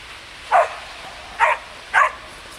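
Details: Samoyed puppies Ettore and Atena out on snow give three short, high, sharp barks spaced roughly half a second to a second apart over quiet background.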